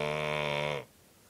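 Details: Toby, a Cocker Spaniel asleep wearing a cone, gives one loud buzz-saw snore lasting under a second, rich in harmonics, then breaks off abruptly into quiet.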